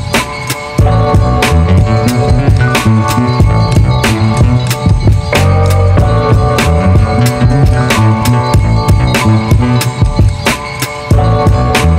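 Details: Loud driving music with drums, bass and guitar throughout, no animal voice audible.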